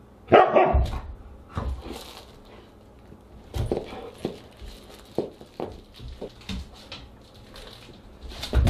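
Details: Siberian husky at dinner time on August 30, 2022: one loud, sharp bark opens the recording, followed by quieter scattered yips and household clatter.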